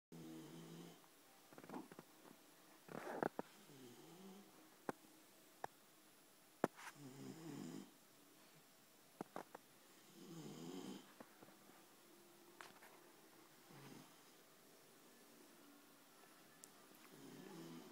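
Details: Sleeping Labrador Retriever snoring indoors, with rough, throaty snores coming irregularly every few seconds, mixed with scattered sharp clicks and soft rustling in a small room.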